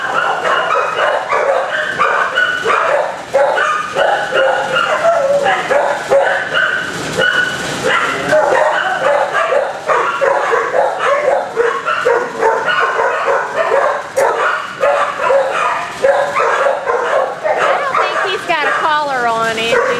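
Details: Dogs in kennels barking steadily, a packed chorus of high yips and barks with some whining; near the end one dog gives a rising, wavering whimper.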